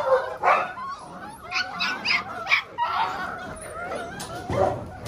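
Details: Several young Belgian Malinois puppies, six weeks old, Lorockmor Mensa X Pixel litter, trading shrill yaps and wavering whines, with quick high squeaks mid-clip and a thump near the end.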